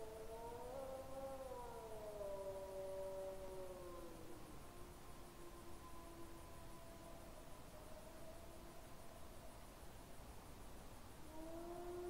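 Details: On a trail camera at about 21:09 on 20 September 2022, a wolf howls close by in long, smooth tones while a second wolf answers faintly from far off.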